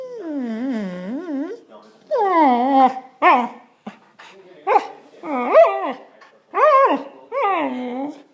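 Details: Indoor Samoyed voicing complaints after a walk was cancelled because of rain: a series of about seven wavering, yodel-like whines and short yips, each rising then falling, with brief pauses between them.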